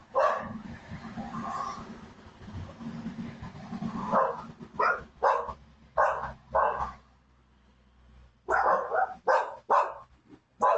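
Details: A very wet, frightened small gray poodle loose on McAfee toward Candler, recorded by a home security camera: rustling and murmuring at first, then a run of quick, clipped barks repeated every half second or so, pausing, then resuming.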